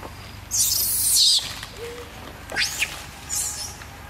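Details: Baby monkey named Peter crying loudly while eating fruit: a shrill, piercing screech lasting about a second, then a quick sharp rising-and-falling squeal and a fainter high cry after a short pause.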